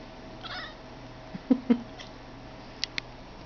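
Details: Blue Boy the cat making his weird sound: a faint brief chirp, then a few short, sharp clicks in pairs with quiet gaps between, in a quiet room.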